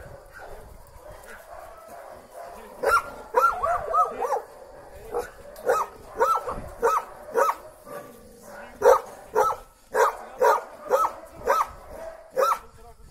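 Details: Female Belgian Malinois reunited with her owner after 25 days apart in a Lebanese forest: a rapid series of high, excited whining yelps and squeals, rising and wavering, repeated roughly twice per second.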